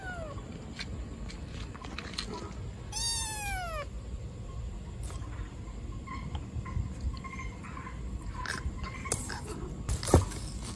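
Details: An abandoned baby black kitten, left in a trash box on the street, gives loud, drawn-out meows that slide downward in pitch, over a low background rumble.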